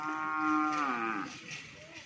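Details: A single cow among many cattle at a community gathering in Pamekasan, Indonesia, gives a long, loud moo that holds steady, then slides downward and fades, with faint crowd noise behind.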